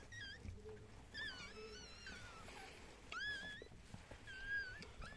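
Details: Newborn Chihuahua litter indoors, including a finger-sized pup, right after birth: scattered high squeaky cries, a few sharply rising then falling, separated by short pauses, with background room noise.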